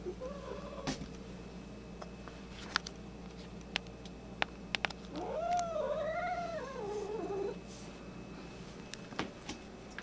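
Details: Angry white domestic cat with an attitude problem, kept indoors with another cat; a wavering, arched caterwaul repeated in quick rises and falls mid-way, with short clicks and knocks scattered through the room.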